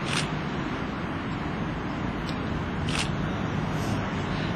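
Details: Broad outdoor noise at a dog protection trial in Escondido, California, with a few short sharp bursts and no barking.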